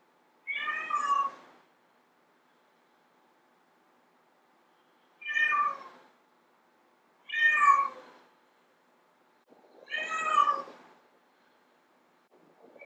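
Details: Domestic cat, a female meowing to draw in males, gives four short, sharp meows spaced two to three seconds apart, each bright and harmonic with a slight fall, against a quiet background with a faint steady hum.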